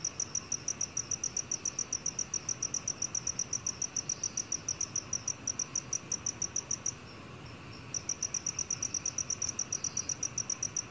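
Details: Rapid, regular high chirping from a black field cricket, pulses coming several times a second, with a pause of about a second near the seven-second mark before the series resumes; quiet hiss behind.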